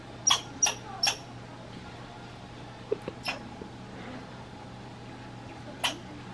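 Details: A grumpy American red squirrel in Minnesota gives sharp, scratchy chips, three in quick succession and then a few scattered ones.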